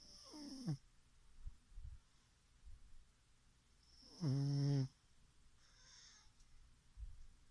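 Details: Chichifo the pug asleep and snoring in a small room, one faint wheezy snore tail at the start, then a single strong, low rattling snore near the middle, soft breaths around it.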